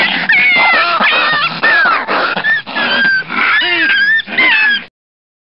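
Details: Two foxes fighting, with high, whining, squealing cries that bend up and down, overlapping harsh rasping, in dense bursts for about five seconds before cutting off abruptly.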